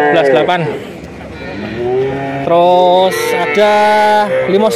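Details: Male calves, nineteen head bought together in Grabag, Magelang regency, give drawn-out, harmonic moos, several long level calls overlapping one another, with a brief rising bawl near the start and faint voices beneath.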